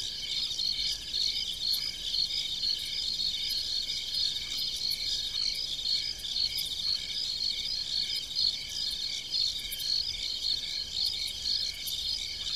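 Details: Many crickets chirping in farm fields after dark, evenly spaced high pulses about two per second layered over a continuous ringing trill, steady volume throughout.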